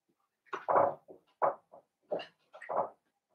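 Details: Indoor pen of five blenheim Cavalier King Charles Spaniel puppies born at New Year; a run of five loud, mid-pitched yelping whines in quick succession over about two and a half seconds, each short and slightly rough.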